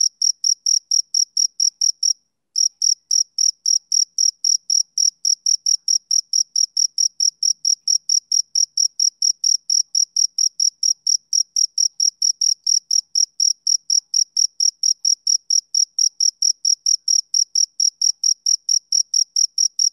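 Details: Rhythmic chirping of a male cricket on a summer evening, a high-pitched pulsed trill repeated about three times a second, broken only by one short pause near the start, then continuing unbroken over a silent background.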